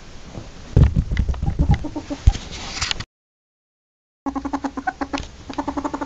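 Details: Ferret heard amid thumping and scuffling handling noise at first. After a silent gap comes a clear series of rhythmic, low clucking pulses.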